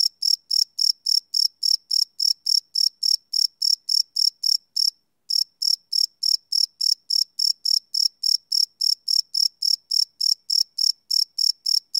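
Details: Night chorus of crickets captured live with a Sony PCM D100 recorder; rapid, evenly spaced shrill chirps about 3.5 per second, briefly pausing for half a second midway before resuming, nothing else audible.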